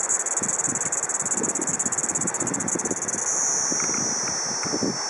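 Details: Kaempfer cicada recorded around 12:15 pm on 4 August 2012, a continuous high, hissing, steady drone without breaks, softening slightly toward the end, over a background of low rumbling noise.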